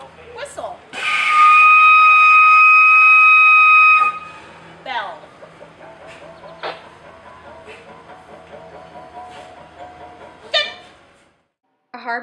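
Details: A male walrus serenading females with mating calls gives a long, steady whistle, then a run of teeth-clicking knocks and bell-like pulses.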